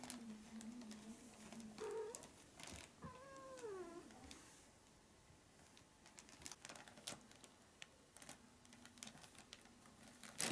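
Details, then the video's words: A Maine Coon kitten, 20 to 25 days old, gives a short squeak then a longer meow that bends downward, followed by several seconds of tapping and rustling noises. "Main Coon Kitten Part 2"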